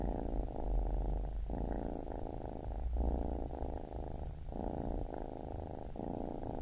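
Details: Low, throbbing purr of a baby kitten in long breath phases of about one and a half seconds, broken by brief dips, with a soft deeper rumble underneath at times.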